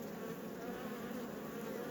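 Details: Honey bees humming in an apiary hive during an inspection, a steady broad drone centred in the low-mid range with faint harmonic banding, continuous and even throughout.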